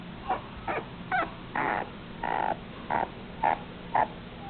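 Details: A red long-haired male Dachshund puppy at a Taiwanese kennel gives short, high yips, about two each second.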